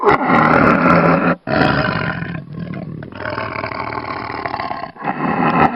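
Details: Tiger roaring loudly in harsh, rasping bursts rich in overtones, broken by short breaks near the start and end.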